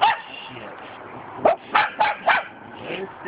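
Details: A Cockapoo barking at a cement dog statue gives a quick run of short, sharp barks, about three to four in a second.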